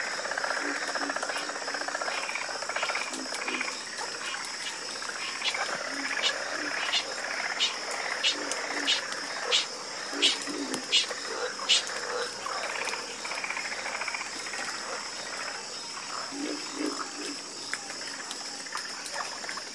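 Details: A harmonious frog chorus: many frogs croaking at once, with raspy pulsed calls rising and falling in loose waves, sharp clicking notes mid-way, and a persistent high-pitched insect hum underneath.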